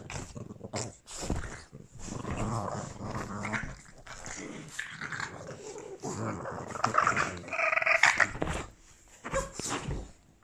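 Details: Boston Terriers named Gina and Albert, pets indoors in Christmas sweaters, squabbling in a play fight: sustained low rumbling growls with snarly bursts and a brief whimper, over a person's voice in a small room.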